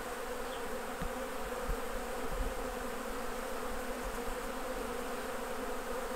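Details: Unbroken low droning of honey bees at the hives while honey is harvested, a steady, even hum with no other clear sounds.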